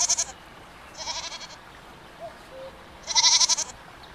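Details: Three short goat bleats, the last loudest with a fast tremolo pulsing, spaced about a second or more apart against a faint hiss.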